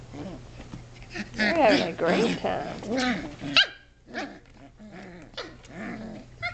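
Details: Shetland Sheepdog puppies, 7.5 weeks old, playing and wrestling indoors in a great room; high, harmonic yips and growly barks come in quick irregular bursts, loud through the middle, then a short silence and softer yaps.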